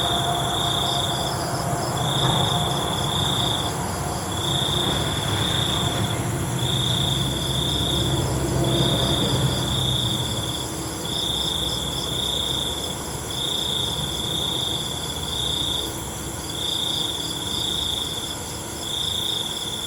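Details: Crickets trilling at night in short, rapid high-pitched pulses repeated several times a second, while a low rumbling like a passing vehicle or train fills the first half and then fades away.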